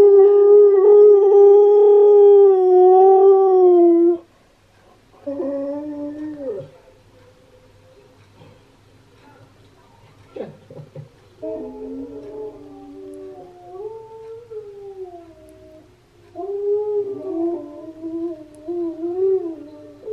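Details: Husky song from Steel, played to Key the husky, who reacts: a loud, level howl, short falling phrases, a quiet stretch with a faint click, then wavering, yodel-like howls returning.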